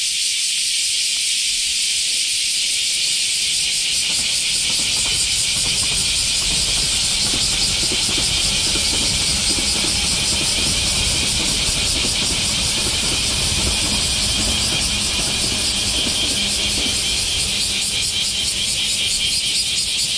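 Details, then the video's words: Semi, the Japanese cicadas of summer, droning after the rainy season: a loud, continuous high buzz with a faint fast pulsing, over a low background rumble that rises after the first few seconds. "sound of summer in japan semi insects"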